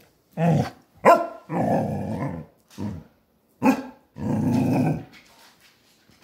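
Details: Basset Hound in a fit of rage: low, rough growls in short bursts, broken by sharp gruff barks, with silent pauses between outbursts.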